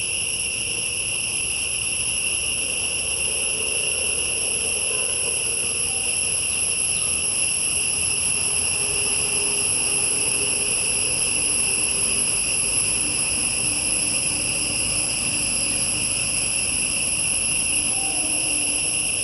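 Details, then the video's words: Long, unwavering shrill chorus of insects in a tall-tree forest, multiple high pitched layers sustained evenly, with a faint low hum underneath. "PEST SOUND IN FOREST/AMAZING TREES NATURALLY/இயற்கையின் விந்தை/பூச்சிகளின் இறைச்சல்"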